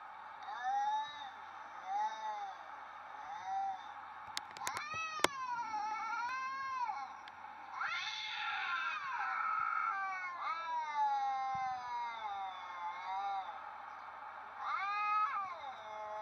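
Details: A seemingly confused Siamese cat calls again and again with long, bending meows, some rising into a strained yowl before sliding back down, with a couple of sharp clicks partway through.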